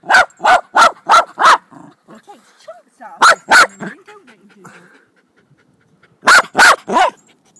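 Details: Jack Russell Terrier, recorded 26 July 2009, barking in sharp bursts: a run of five quick barks, a pause with low muttering noises, then two barks, then a final burst of three.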